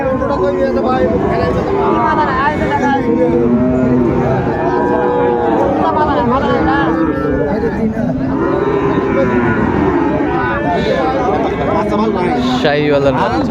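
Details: Sahiwal bull calves at the crowded Ambari haat livestock market, 17 January: several overlapping low moos, some rising and falling, through a dense background of people talking and bargaining.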